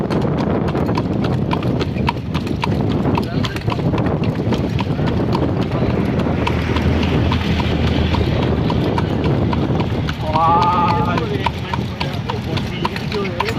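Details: Steady clip-clop of a horse's hooves on a hard road during a night-time horse cart ride, with a rumbling cart and brief voices.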